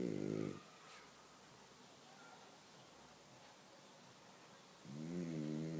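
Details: Sleeping dog snoring loudly indoors, a rough, low, pulsing snore in two bursts at the start and end with quiet breathing between.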